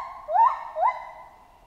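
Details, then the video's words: Jungle chimpanzee calling two short, upward-sweeping hoots less than half a second apart, each bending up into a steady tone, then a fading tail; no other sounds. "Monkey Ape Sound Effect Chimp Jungle"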